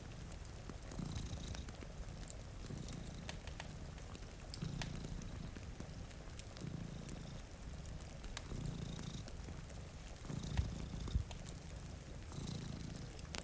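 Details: Sleeping cats by a rainy window, fireplace crackling nearby; a soft, throaty purr repeats in even breath-paced waves about every two seconds, mixed with steady rainfall and a few sharper pops from the flames.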